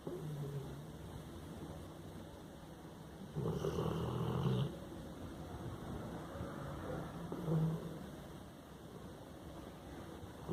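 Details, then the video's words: Hannah, a sleeping Labrador Retriever, snores: a low rumbling breath with a louder rasping burst around the middle and a softer one later, over steady low background hum. "Cachorro Roncando!"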